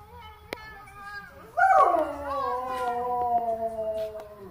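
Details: Dog giving a long, drawn-out howl, likened to whale talk: after a soft lead-in it swells suddenly into a loud wavering tone that slowly slides lower and fades over about three seconds.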